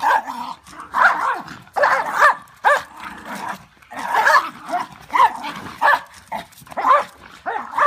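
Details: Two Welsh Corgis, Mango and Soondol, growl and grumble in rough bursts, with short yaps breaking through, during a play fight over rank.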